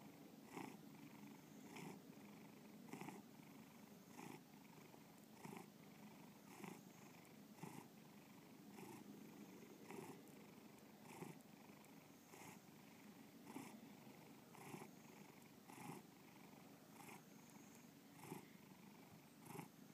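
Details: Domestic cat purring up close for a long stretch, a deep even rumble with soft breathy pulses recurring a little more than once a second, in a quiet indoor setting.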